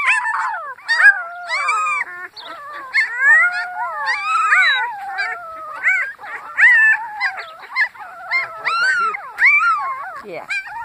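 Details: A litter of puppies howls in a dense, high-pitched chorus, many wavering and sliding voices overlapping continuously, mixed with short squeaky yelps and whimpers, the tones bending up and down without pause.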